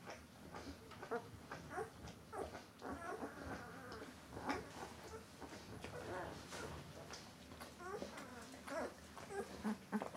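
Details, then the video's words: Thirteen-day-old White Swiss Shepherd Dog puppies, several together, giving thin, high whimpers and squeaks scattered through a steady background hum. "weisse schweizer Schäferhundwelpen"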